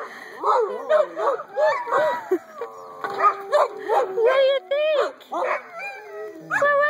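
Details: Puppies at eight weeks old give repeated arched yips and thin whines, with a sustained wavering howl in places, mixed with a person speaking to them.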